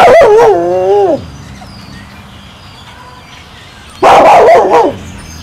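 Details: Two wolves, a timber wolf and a gray wolf, howl for lunch, giving short, wavering howls that slide down at the end.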